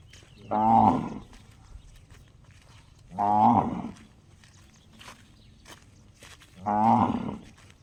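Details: Cow whose call sounds just like a gong: three clear, ringing, overtone-rich notes, each about half a second long, spaced roughly three seconds apart, over quiet background.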